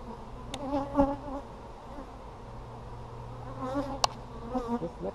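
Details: Busy honey bees heard up close while an Apimaye hive is opened on July 23, 2020 to check brood. Wavering buzzy tones swell twice, around the first and fourth seconds, over a low hum, with a few sharp clicks.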